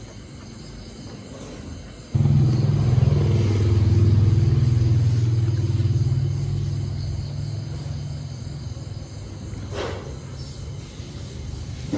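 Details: A low vehicle engine rumble starts suddenly and continues outdoors, with faint background noise and no animal voice.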